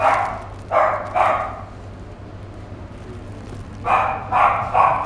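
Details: Male fawn Chihuahua at a pet shop, born July 2016, barks in short bursts: three quick yaps, a pause of about two seconds, then three more, with a constant low electrical hum underneath.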